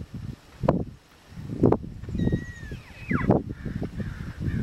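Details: Wild Tule elk bull on Coyote Ridge, 22 June 2012, roughly 100 to 150 meters away on a steep hillside. A high whistled call slides downward, followed by a shorter descending whistle. Loud thumps and rumble from a handheld camera run through the recording.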